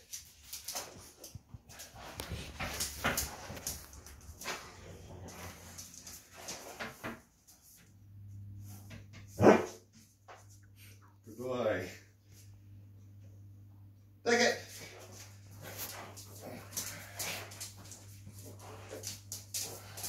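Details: Mister Brown, a Rhodesian Ridgeback, barks on the "speak" command, a sign he confuses with "let". After a person's spoken commands come three short, loud, harmonic vocal bursts spaced a few seconds apart, over a steady low hum.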